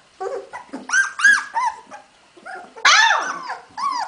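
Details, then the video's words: Hungarian Vizsla puppies, recorded 15 February 2011, giving loud arched whines and yelps that rise and fall, in short bursts with brief pauses, one long squeal near the end. "puppies magyar vizsla"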